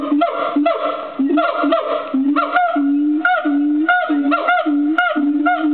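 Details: Agile gibbon song from a wildlife park enclosure at Fota: hooting notes with sharp upward slides, becoming longer held hoots alternating with quick rising whoops toward the end.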